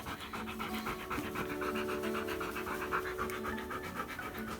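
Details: Husky named Key, soaking wet after going out in the rain, panting while being dried with a soft cloth on his face indoors; quick, even breaths of about four per second continue throughout, with a faint low hum behind.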